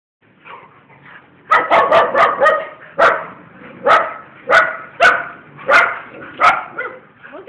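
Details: Pet bull terriers giving a run of about ten sharp, loud barks, first in a quick cluster, then spaced roughly every half to three-quarters of a second, with faint background murmur.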